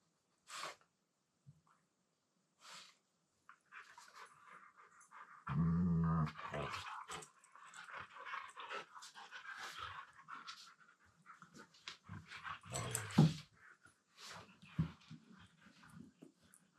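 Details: Siberian Husky talking in a low-pitched voice while playing indoors with a second husky, mostly quiet at first, then a deep rumbling growl-like moan around the middle, followed by breathy huffs, scuffling and one more low grumble.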